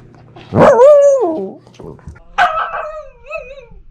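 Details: Pomsky puppy, female, howling while talking to its sister: two wavering, whiny howls with a bent, rising then falling tone, the first loud and long, the second softer and trailing off, a steady low hum beneath.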